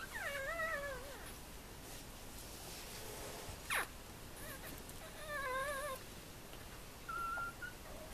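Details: Four-day-old Tibetan terrier puppies give wavering, tonal whimpers in three short bouts, each under a second. A quick rustle comes midway over steady background hiss.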